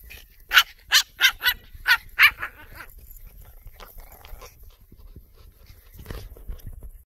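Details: Dog barking: six sharp, high-pitched barks in quick succession over the first two and a half seconds, followed by softer scattered noises and a brief low rumble near the end.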